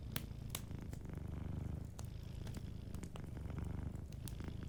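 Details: Cat asleep near a fireplace, purring in a dense low drone with a regular pulse, while scattered crackles of the fire click over it.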